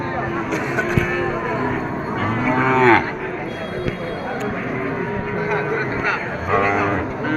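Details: Cattle at the Kazipur cattle market in Sirajganj district, held Sundays from noon to five in the afternoon; low drawn-out moos rise out of steady crowd chatter, with voices and vehicle noise throughout.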